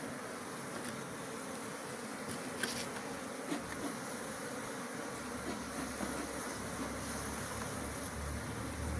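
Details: Continuous humming drone of bees on a bee farm, even and unbroken throughout, with a few soft taps and clicks scattered across the recording.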